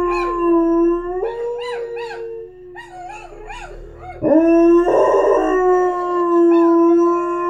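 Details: A Border Collie–Lab mix howls at the TV in long, wavering tones that slide up and down and rise into drawn-out notes.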